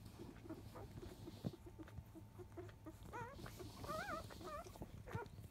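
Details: Five-day-old field-type Labrador Retriever puppies from the mother biscuit, 2017 JFA Grand Champion, at the 10 a.m. nursing feed. Soft shuffling and low grunts, then several high wavering whines in quick succession over the last two seconds.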